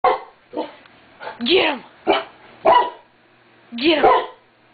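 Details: Pet dog barking indoors at nothing, sharp barks repeated at uneven intervals about once a second, some with a rising-falling whine, with a person's voice asking if it is okay.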